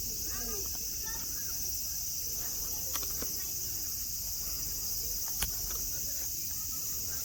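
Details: Cicadas in Nara Park, Japan, under blue sky among green mountains and grass where friendly deer roam; a steady, high, hissing buzz drones without a break, with faint voices and a few brief clicks.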